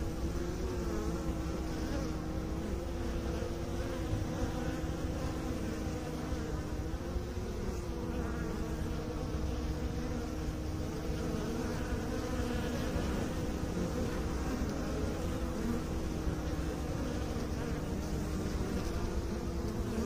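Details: Beekeepers' bees humming together, a deep sustained drone carrying a clear steady tone that holds, dips slightly and returns across twenty seconds of unbroken buzzing.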